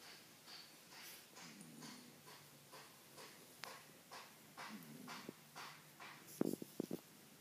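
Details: Ken, a sleeping Shiba Inu settled into the household for two weeks, snores with white eyes showing. Rasping breaths come in quick uneven pulses, and a few sharp clicking knocks sound near the end.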